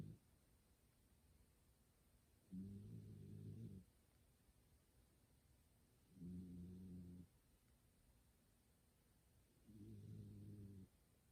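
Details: Kumatan, a pet cat fast asleep indoors next to someone gaming, snores with a human-like sound; three steady low buzzing snores, each about a second long, spaced roughly three and a half seconds apart over quiet background.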